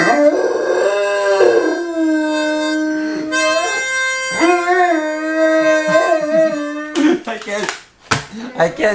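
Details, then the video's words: Rupert, a five-and-a-half-month-old Great Dane puppy, sings along to a harmonica heard for the first time; drawn-out, bending howls mingle with held harmonica notes, then a person's voice and clatter at the end. "Great Dane Puppy Rupert - Accompanies Harmonica"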